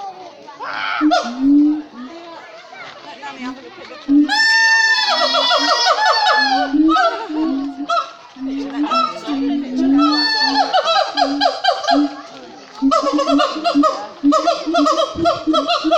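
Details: Captive siamangs at Cotswold Wildlife Park calling loudly in full voice, with deep repeated booms beneath ringing, sliding whoops and wails.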